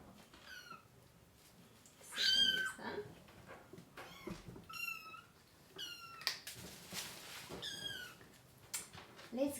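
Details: Baby kittens cry during deworming alongside their mama cat. Repeated high, thin mews bend down in pitch, arriving every second or two, some overlapping, in a quiet small room with light handling noise.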